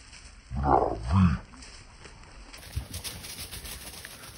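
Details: An English Setter on a wild boar hunt in Sardinia gives two deep, hoarse barks in quick succession, then quiet outdoor background.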